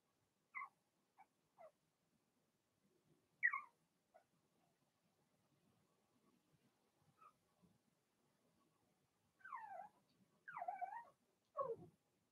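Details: Blenheim Cavalier King Charles Spaniel puppies in a puppy pen, from a litter of six born in March, give scattered high, falling whines and yelps, quiet between calls, then three louder drawn-out whimpers near the end.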